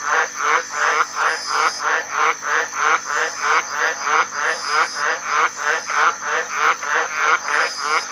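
A tree frog gives a raspy, pulsing croak, repeated steadily about three times a second.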